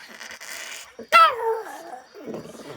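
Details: Shih Tzu puppy coaxed by its owner to 'sing' indoors, answering with a single loud whining howl that starts high and slides smoothly downward over about a second, with a woman's Malayalam speech before and after.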